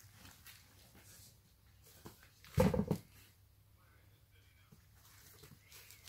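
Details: A Rottweiler puppy snapping at a patient English bulldog lets out one short, rough growling snap in an otherwise quiet room.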